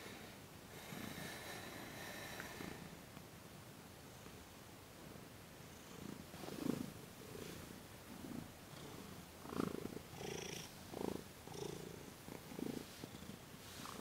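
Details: Thomas, a pet cat with sensitive paws, receives massage and Reiki on December 28, 2021; after a quieter start, low rumbling purr pulses swell and fade roughly every second, with faint rustling above.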